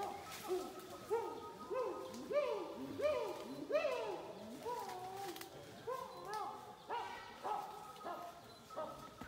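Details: Wild chimpanzees in Uganda, calling from the trees and on the ground during tracking; a quiet, distant series of arched, rising-and-falling hoots repeated rapidly, several voices overlapping, over a soft background hiss.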